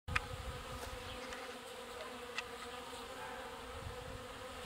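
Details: Bees at a watering point, water carriers busy pumping water; a dense, steady buzzing drone of many wings with a few louder passing insects close by.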